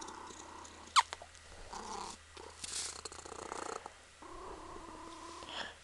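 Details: Female Ragdoll kitten Punkin lying on her owner and kneading her, purring in steady rhythmic bursts, broken by a sharp click and rustling of fabric in a quiet room.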